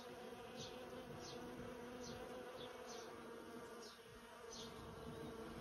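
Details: Busy bees swarm a persimmon tree, a hundred of them by count, filling the air with a continuous low wing hum, thick and unbroken, over soft repeated high clicks.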